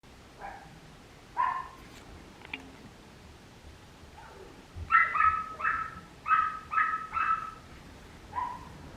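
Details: Dorothy, a Papillon puppy, gives short high yapping barks, a few scattered ones at first, then a quick run of five or six evenly spaced yips, and one last bark near the end, in a quiet room.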